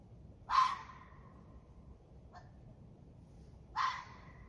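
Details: A red fox vixen gives harsh, rasping calls, two loud ones about three seconds apart, recorded in January 2022 near feeders.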